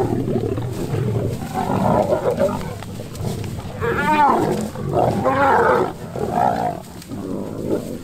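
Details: Male lion approaching a female lion to mate, with an unexpected turn; loud rasping snarls with wavering, warbling tones rise and fall in several bursts over continuous low growling.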